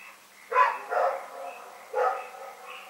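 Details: Dog named Rex barking at night in Pyrga on February 27, 2018: a pair of gruff barks followed by one more a second later, above a continuous high-pitched chorus of chirring callers.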